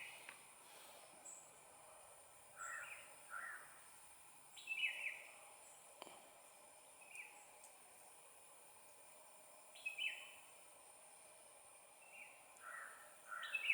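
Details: Squirrel; chirp; young calling its mother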